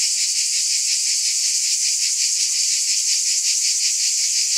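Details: High, hissing cicada buzz with no gaps, pulsing steadily about three times each second, the insects the only sound present.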